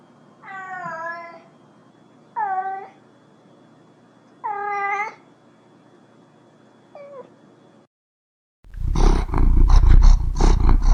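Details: Cat meowing four times, the first three full and wavering and the last short and clipped, followed after a pause by a burst of loud, low rumbling purr.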